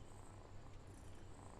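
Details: Domestic cat purring: a soft, low, steady rumble pulsing in quick even beats through the whole short stretch, with no other clear sounds.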